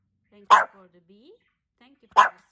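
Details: Hendo, a male Pomeranian celebrating his second birthday, gives two sharp, short barks about a second and a half apart, with soft human voices murmuring quietly in the pause between them.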